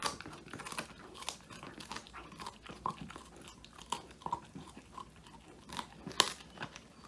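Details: Woody, a male Old English Sheepdog, crunching a whole quail treat indoors, captured on a phone; dense run of crisp bites and crackles, fairly steady, with a sharp snap near the end.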